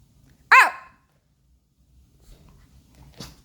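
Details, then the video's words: Pomeranian puppy Baebae talking back with one loud, high, arched bark, followed by faint shuffling and a soft distant second sound about three seconds later. "반항하는 강아지 [A Puppy Talks Back]"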